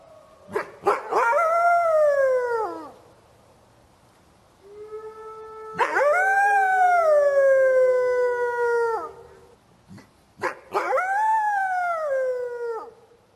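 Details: A gray wolf (Canis lupus) in a forest gives three long, drawn-out howls, each sliding gently downward before breaking off.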